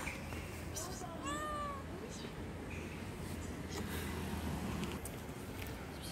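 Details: Timid stray street cat being hand-fed gives a single clear, rising-then-falling meow. Steady low background rumble and people talking nearby.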